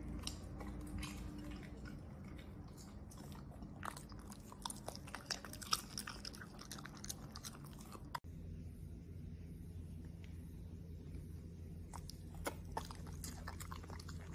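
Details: Corgi munching on a mixed meal of steak, broccoli, blueberries and other vegetables. Crisp irregular crunches and snaps fill the first half, and sparser bites follow after a brief cut, over a low droning hum.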